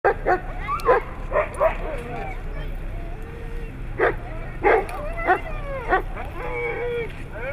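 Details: Siberian Husky giving wavering, harmonic howl-like yowls and short yips in uneven bursts, some rising and falling in pitch, with human speech mixed in and steady low background hum.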